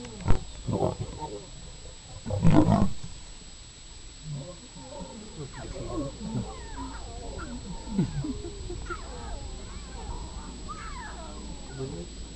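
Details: Lions at a kill in Masai Mara National Reserve, Kenya, in January 2010, with cubs protesting after being pushed away while the male eats; a loud low roar-like burst near two seconds, then many short rising and falling cub whines, with faint human speech.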